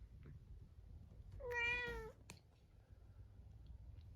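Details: Munchkin cat named Chabo, shut alone in a separate room at dinnertime before next day's neutering surgery, meowing sadly: one clear harmonic meow lasting about half a second, slightly falling, in a quiet indoor room with faint background noise.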